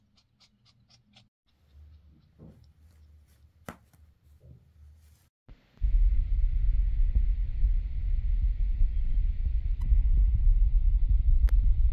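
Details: Soft indoor taps and rustles give way to loud, steady low rumbling handling noise, with no animal voice.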